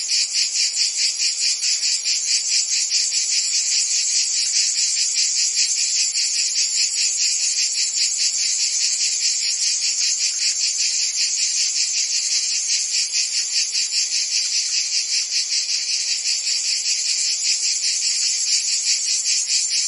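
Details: Massed crickets and insects keep up an unbroken shrill chorus, quick rhythmic chirps pulsing a little over twice a second, layered in several high bands, no birds or people heard.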